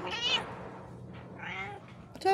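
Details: House cat letting out quick, high meows, one sharp bent cry, a softer rising one and a clipped final call, while a person talks softly in Bisaya in the background.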